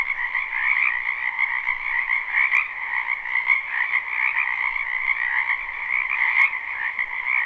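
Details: Spring wetland frog chorus recorded live, not looped: countless frogs croaking at once in a steady, unbroken trilling wash, a brighter upper band over a lower one, with a few brief faint clicks.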